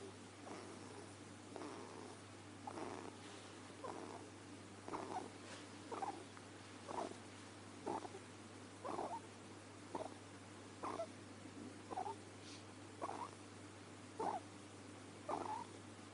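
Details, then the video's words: Pet ferret named Deamon asleep and snoring, producing a regular series of short, raspy breath noises about once a second, quiet against a steady electrical hum in the room. "Deamon The Talking Ferret, snoring"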